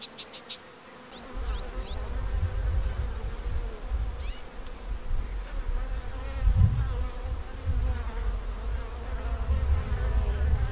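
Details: Honey bees in Armenia, a low, dense rumbling hum that swells and fades unevenly throughout, with a few faint high chirps and squeaks over it.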